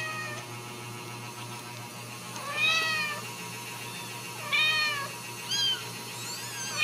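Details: Ragdoll kittens at a home cattery in central Kansas give a few high, arching meows spaced irregularly, with a steady electrical hum running underneath.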